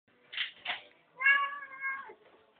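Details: Pet cat meowing at dinner time while wanting the family's food, described as a talkative cat that converses with people; two short chirpy calls followed by a long, steady, harmonic meow lasting nearly a second, indoors.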